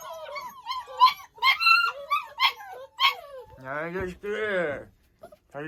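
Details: German shorthaired pointer puppies born 15 January 2022 give a run of high, wavering whimpers and yelps that rise and fall in quick succession, followed by a person talking softly indoors.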